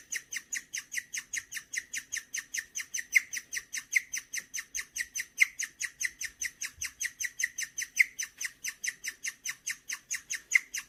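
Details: Bird-like chirping from a contented indoor pet guinea pig, Gureum: a long steady train of piercing chirps, about two to three per second, some notes louder than others, with no other sounds.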